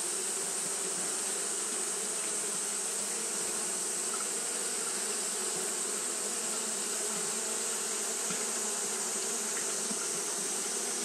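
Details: Japanese honey bees fanning nonstop on a hot day; a level, rich humming drone with occasional nearer buzzes rising briefly, backed by an even high-pitched hiss.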